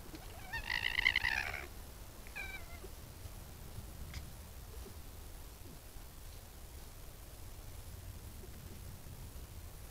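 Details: Red fox vixen beside her den, caught on a trail camera while baring her teeth; one harsh, strongly harmonic wailing call lasting about a second, then a faint short squeak, over a steady background hiss.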